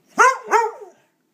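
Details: Pet dog barking on command when asked to speak indoors: two short, loud, bright barks about a third of a second apart, the second trailing into a brief softer whine.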